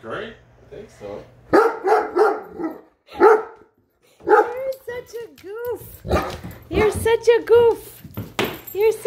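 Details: Great Dane upset by a measuring tape held by its owner, indoors: a woman talks to it while it gives gruff barks, then rising-and-falling whining yelps and more barks toward the end, with speech overlapping throughout.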